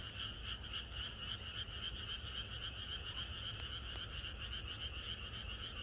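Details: A frog chorus in the countryside on the night before rain: dense, steady pulsing croaks in two bright bands, many frogs calling over one another at a fast rhythm, with a low background hum throughout.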